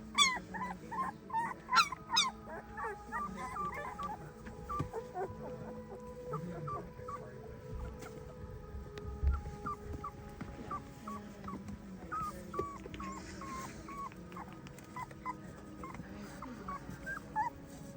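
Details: Female German Shepherd puppy practising her singing: rapid series of short, high, wavering whines and yips, some sliding up or down, loudest near the start, over a steady humming background tone throughout.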